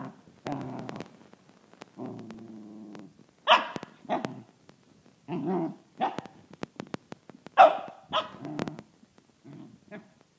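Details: A six-month-old corgi puppy named Gus, a Pembroke and Cardigan cross, faces a drill; low rumbling growls lead into loud, abrupt barks, followed by further grumbling barks spaced unevenly, some clicking noises between them.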